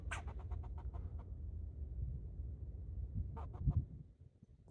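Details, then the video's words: Squirrel named Rocky up in the trees, leaping between branches and barking: a quick run of about ten sharp chipping barks, then silence, then a shorter burst of three or four, against low rumbling background noise. "rocky barking"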